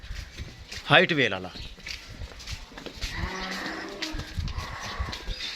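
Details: A Dutch Friesian cow offered for sale at a farm in Pakpattan, Pakistan, gives one short harmonic moo lasting about a second, its pitch wavering; men talk nearby afterward over steady outdoor background noise.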